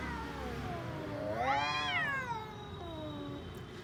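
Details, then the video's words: Orange-and-white domestic cat giving a single strained, rising-then-falling yowl peaking midway, trailing into a lower, fading moan, with faint background rumble. "Cat funny sounds"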